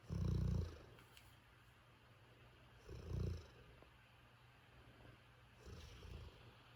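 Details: A worn-out Golden Retriever snores in deep, rumbling breaths, one roughly every three seconds.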